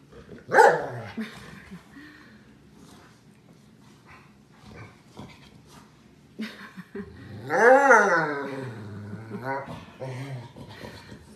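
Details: Bernese Mountain Dog giving one sharp bark, then a quiet stretch with faint shuffling, followed by a long drawn-out whining howl that rises and falls in pitch, trailing into lower grumbling sounds.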